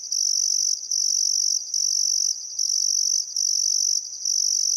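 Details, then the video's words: Still summer sunset on the Barcoo River, Welford National Park, Australia: crickets produce a bright, very high continuous trill in repeated stretches just under a second long, each ending in a brief dip. "Australian Sunset Chirping Crickets"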